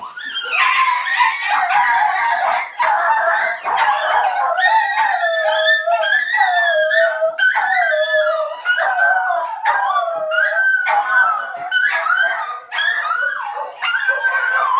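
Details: Dog howling, several overlapping drawn-out wavering howls with yips, loud and continuous, sliding up and down in pitch with brief pauses.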